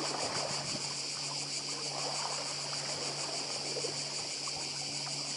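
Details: Cicadas on Badija island, Croatia, in a steady high continuous buzzing hiss that fills the upper range, mixed with the soft wash of sea surf and occasional faint splashing.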